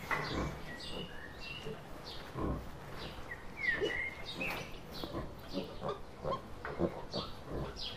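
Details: Wild boar giving short, rough, snorting grunts in irregular bursts of rooting noise, some close together and some spaced a second or more apart, with chirping birds and a thin whistled note in the background.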